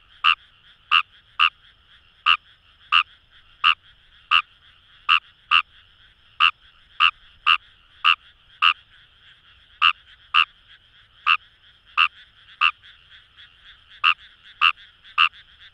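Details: Kawamura's rice frog (Fejervarya kawamurai, numagaeru) calling in paddy fields along the Kamo River, Itoshima, Fukuoka, Japan: sharp, short croaking notes, about twenty-two in sixteen seconds, irregularly spaced, over a steady chorus of distant frogs.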